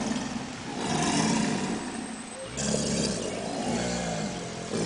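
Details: Subadult American alligators bellowing together in a captive group at the St. Augustine Alligator Farm Zoological Park: deep, rough, pulsing rumbles that overlap, swelling and fading in waves across the clip with a broad hissy wash above.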